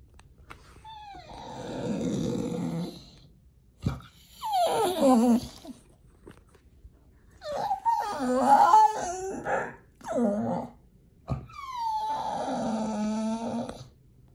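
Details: Indoors at feeding time a Pit Bull begs with a run of whimpering whines, some wavering and broken, others long and sliding downward, in five or six bursts separated by brief silences.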